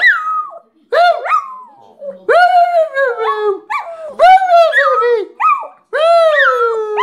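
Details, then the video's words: Pet Shih Tzu dog "singing" in a series of whiny howls, each rising sharply then sagging downward, some broken into yodel-like wobbles, delivered in quick succession with brief gaps. "Shih-tzu singing"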